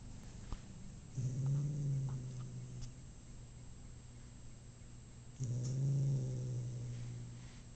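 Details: A male house cat, just home from having his teeth cleaned at the vet, lets out two long, low, groaning moans about four seconds apart, each deep and sustained before fading.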